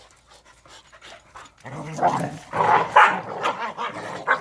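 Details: During exercise time, Korean native Jindo dogs Sundol, Baekho and Ttoksuni make a quick run of loud, tonal barks and whines that begin after a quiet opening and come about three or four per second.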